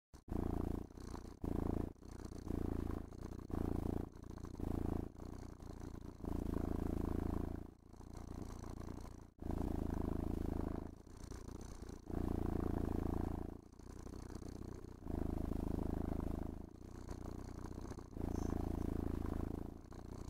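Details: Domestic cat purring steadily while being brushed and petted indoors, enjoying the grooming; deep, low rumbling purr in pulses of about four per second, with brief breaks and faint brushing swishes.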